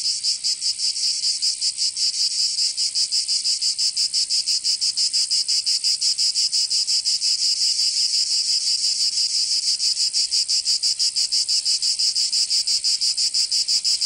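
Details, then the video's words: In Provence, southern France, cicadas sing through a summer day: an intense, sizzling high buzz beating in quick regular pulses, roughly three per second, continuous and evenly loud throughout. "Canto Cigarra 🦗 [ Escuchar les cigarras en verano 10 H]"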